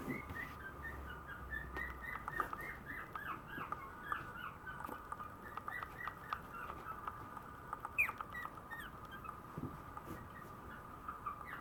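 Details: Female Maltese puppy born on 7 November, giving a run of soft, high squeaky whimpers, short curved chirps repeated rapidly over a steady faint background hum.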